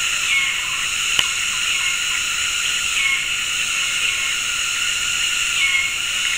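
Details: Afternoon cicadas in tropical forest at Gunung Ledang Nature Reserve, West Malaysia, synchronizing mating calls from several directions: a dense, steady, high buzzing drone in layered bands, crossed by brief thin whistles about every two and a half seconds and one sharp click.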